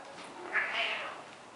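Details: A domestic cat gives a single short, soft meow that rises slightly and then falls, while a person quietly coaxes it nearby.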